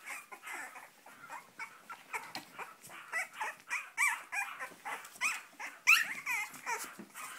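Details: Cavalier King Charles Spaniel puppies from the litter of Sarlat and Chloé, born 7 April 2014, in Spain, wanting to get out; many short high yelps and squeaks, irregular and overlapping, with a woman's exclamations nearby.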